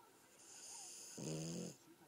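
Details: Sleeping French Bulldog Gomashio gives a long breathy hissing inhale that turns into a short, low buzzing snore near its end, then fades to soft breath.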